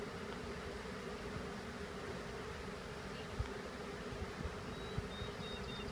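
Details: Swarming honeybees during an easy swarm shake into a hive: a low continuous buzz holds evenly throughout, with soft thuds underneath and a faint thin whine near the end.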